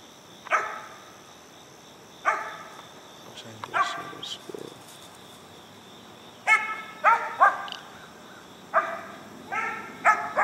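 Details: Four-month-old Mountain Cur pup from an Alabama kennel treeing a squirrel outdoors: sharp, harmonic barks in bursts, some single and some in quick clusters of three or four, with a steady insect drone and a man speaking briefly.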